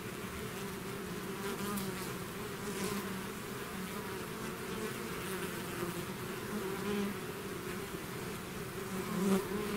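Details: Swarm of bees leaving the hive, an unbroken layered drone of many wings, low steady hum with faint higher whines rising and fading, ending a little louder.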